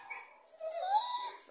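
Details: Cane Corso dog producing a soft, rising, squeaky whine that swells in the middle and tapers off, with a faint high tone above it.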